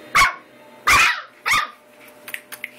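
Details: American Eskimo Dog puppies at eight weeks giving three evenly spaced shrill yaps about half a second apart, then faint small squeaks and clicks.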